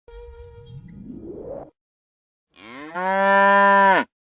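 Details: Buffalo giving one steady, loud, harmonic moo lasting about a second and a half, preceded by a softer rising, rumbling sweep and a brief pause.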